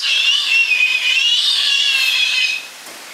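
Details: Giant otter family at Chestnut Centre, Chapel-en-le-Frith, six animals including two captive-born cubs, 25 June 2011; one long, steady, whistle-like high squeal wavering slightly in pitch for over two seconds, then quiet.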